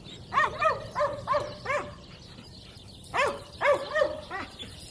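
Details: Female Cane Corso puppy, four months old, barking during a protection evaluation against a decoy; sharp, high, yappy barks in two bursts of four or five, each bark short and bending down in pitch.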